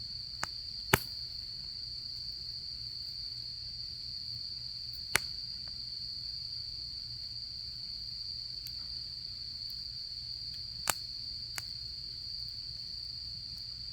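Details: Steady shrill trilling of autumn insects continues without pause while a campfire gives occasional loud cracks spaced several seconds apart, over a faint low rumble.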